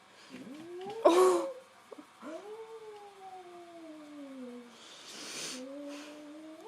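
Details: Nine-week-old Australian Shepherd puppy, unsure about her new tennis ball toy, gives long drawn-out whining howls. Each one rises, then slowly falls, with a shorter cry at the end. A sharp noise burst and faint voices are also heard.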